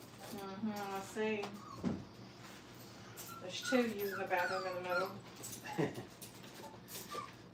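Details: Five-week-old Brittany puppies in a kennel crate during crate training, indoors. Several pups give harmonic, yelping whimpers and short wavering whines, overlapping in quick bursts of rising and falling cries.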